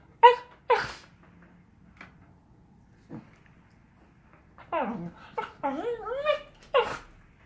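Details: Samoyed puppy and miniature Australian Labradoodle playing indoors: short sharp yips and a sneezy snort early, then a run of whiny, rising-and-falling howl-like grumbles and yelps near the end, in a quiet room.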